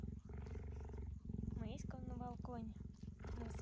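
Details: Gentle tame female cheetah lying on a plaid on a sunny day, purring in a deep, rapid, unbroken rumble beneath a person's soft, sing-song speech.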